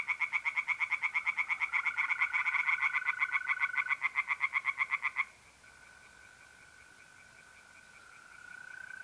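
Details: Tree frogs singing at a pond by night in mid-April in north-east Italy: a fast, loud string of harsh pulsed croaks for about five seconds, then stopping to leave the steady trilling of mole crickets.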